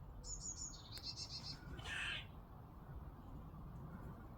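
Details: Squirrel making a strange, bird-like noise, heard outdoors while washing is hung out. A quick series of thin, high chirps, then a short harsher rasping burst, over a steady low background rumble.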